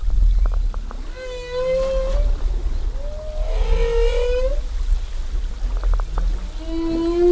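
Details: Humpback whale song recorded while whale watching off Zamami, Japan, in 2018: long, wavering moans sliding up and down, with short clicking pulses between phrases.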